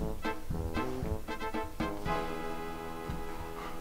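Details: Plucked and bowed string music with rhythmic notes fills the passage, with no animal voice heard.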